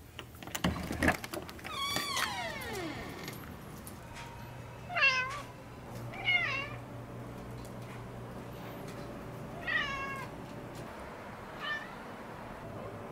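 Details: Pet cat indoors, rolling and dancing, gives a series of drawn-out meows: one long falling cry early, then shorter rising-falling meows spaced a few seconds apart, fading toward the end, with soft background music and a low steady hum.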